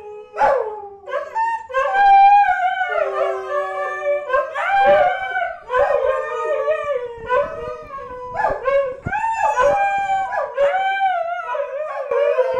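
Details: Pet dogs howling in chorus, sustained gliding howls layered over one another, swelling and fading in waves with occasional short yipping notes mixed in.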